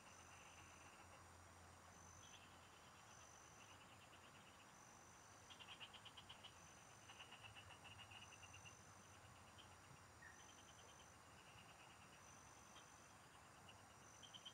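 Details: Frogs in the fields, recorded during fishing. Scattered bursts of quick rattling pulses break out every few seconds, growing denser midway, set against a thin high insect whine and a steady low background hum.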